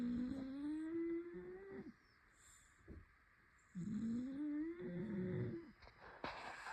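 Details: Whistly snores from Toby the Shar Pei: each breath gives a nasal humming tone that slowly rises, followed by a quiet pause of about two seconds, then another rising, buzzing snore.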